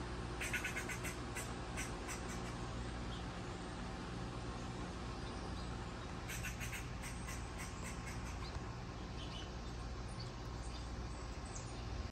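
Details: An angry squirrel gives bursts of sharp, rapid clicking chatter over a steady low hum.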